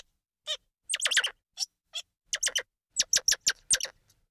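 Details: High, twittering squirrel monkey calls: short chirps running in quick overlapping clusters of three to five, separated by brief pauses, with single squeaks in between.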